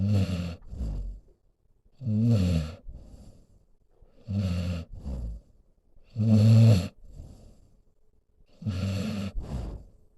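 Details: Solomon, a senior pit bull mix, snoring while lying next to his owner; deep rumbling low snores in regular bursts about every two seconds, each inhale-exhale pair with a rasping rattle, quiet pauses between.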